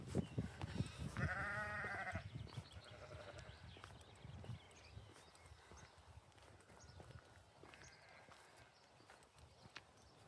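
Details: Farm lambs in springtime bleat, one strong wavering bleat followed by softer, shorter calls.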